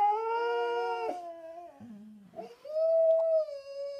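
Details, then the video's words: Pair of pet Siberian Huskies singing a low-voiced duet; a sustained howl breaks off after a second, a brief low groaning dip follows, then a clear rising howl swells and holds to the end. "Husky singing a duet in baritone"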